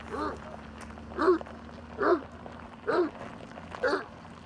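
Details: A dog barking at a truck, giving five separate loud barks about one second apart over a low steady background hum.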